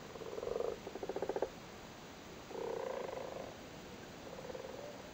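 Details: Frogs in Cork, Ireland, croak while spawning in a flooded cattle grid, males resting on the spawn. Two rattling pulsed bursts open, then a smoother drawn-out purr and a softer one after a pause.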